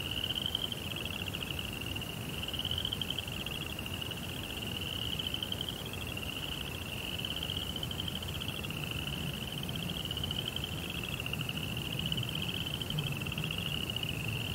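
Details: Crickets at night around a Japanese Zen rock garden and koi pond. A high, ticking trill comes in linked phrases roughly every one to two seconds, slightly falling at the ends, above a steady low hum.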